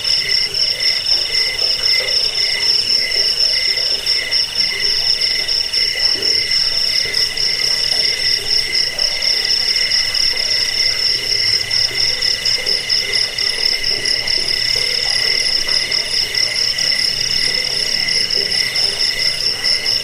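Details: Crickets calling nonstop, used to repel rats, help sleep and tutor caged birds; bright high-pitched pulsing trill plus a rhythmic lower chirp, dense and unchanging, faint rapid ticking high above late on.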